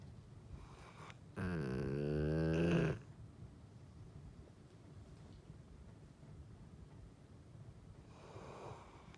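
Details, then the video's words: A golden retriever sleeping indoors lets out one strong, rasping snore of about one and a half seconds, rising slightly in loudness, followed by soft breathing and a faint exhale near the end. "Golden Retriever Snore"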